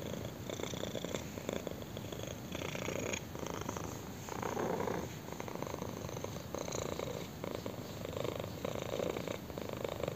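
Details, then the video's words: A contented kitten purring as someone scratches its chin; dense, throbbing purr that rises and falls with each breath, louder around the middle, close and intimate with light scratching sounds. "KITTEN PURRS AND ENJOYS BEING SCRATCHED ON A CHIN"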